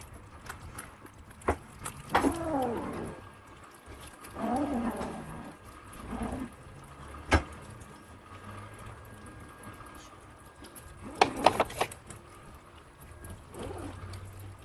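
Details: Young British Longhair kittens from Prada's six-kitten litter, born 23 April, feed on meat; several arched, falling mews recur through the stretch, interspersed with wet chewing, clicks and low room noise.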